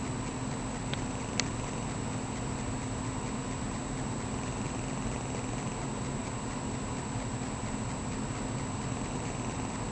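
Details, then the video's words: Maggie, a domestic cat, snoring in her sleep indoors: a steady low rasping rumble runs without a break under a faint electrical hum, with two brief clicks near the start. "cat snoring"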